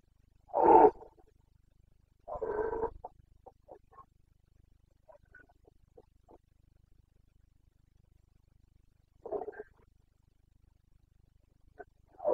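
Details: Red deer stag in rut in the Bucovina mountains, Romania, 29 September 2022: one loud rasping roar and a second, rougher call, then scattered faint grunts and two quieter bellows later on.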